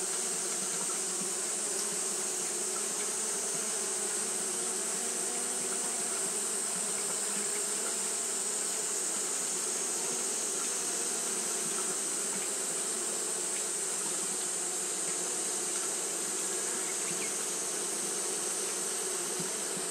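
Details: On a hot day Japanese honey bees keep fanning, giving an even, sustained buzz with low humming bands and strong high hiss, no pauses or breaks across the stretch.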